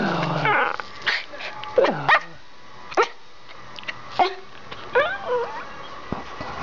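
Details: Two pet Schipperkes indoors, running through the house: a low rumbling growl opens, followed by scattered sharp barks and a few higher yips with falling pitch, separated by short pauses.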